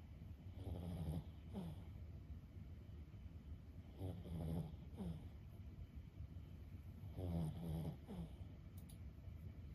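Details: Lulu, a 15-year-old senior Boston Terrier, snoring while asleep: low, rough, grunting snores in short bursts roughly every second or two, with quiet pauses between breaths and steady faint room hiss.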